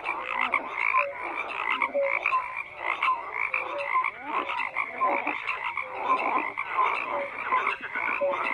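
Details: Dense frog chorus with many croaking callers overlapping, pulsed rattles and brief tonal notes repeating every second or so, the level rising and falling slightly across the stretch.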